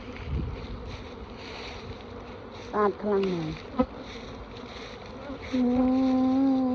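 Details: Bees at a Khmer bee-keeping farm hum softly beneath chatter, then a loud, steady, low buzz swells near the end and holds.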